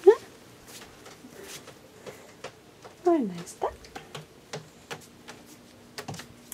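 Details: Baby kittens indoors, one named Luna: a short rising mew at the start, then a louder meow sliding downward around three seconds, with soft French speech and light tapping and handling noises throughout.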